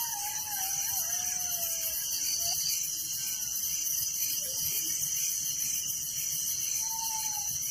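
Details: Crickets chirping at night in a village, a dense continuous high shimmering trill with steady pulsing bands, while faint sliding whistled tones, possibly birds, drift in and out lower down.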